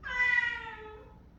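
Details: A female cat whining that she wants to go outside gives one drawn-out meow of about a second, clear and harmonic, fading away indoors.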